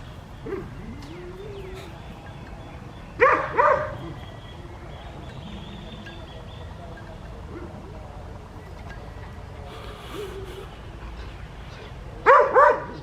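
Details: Adriano, a West Highland White Terrier, outdoors on a winter morning in the garden and fields of Hoat Wala village, South Punjab, Pakistan. Two short bursts of high, sharp double barks separated by long quiet stretches, with a low background rumble.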